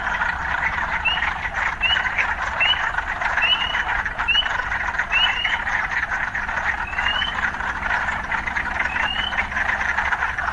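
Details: Urban frogs, mixed with occasional city sounds: a dense, steady pulsing chorus with short, bright, rising chirps. The chirps come about once a second for the first six seconds, then more sparsely.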